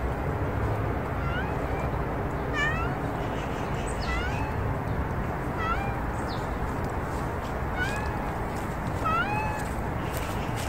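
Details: Street cats, one blocking the path, meowing repeatedly: short bright rising-falling meows with clear harmonics, about a dozen over ten seconds, some paired, over steady low traffic rumble.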